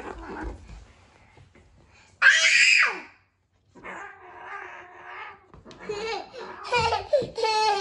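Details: Domestic cats, a Norwegian Forest Cat and a Ragamuffin, quarrelling indoors while a young girl steps in to break up the fight: a sharp hissing screech burst, then a low wavering drawn-out yowl, with a child's voice and laughter around it.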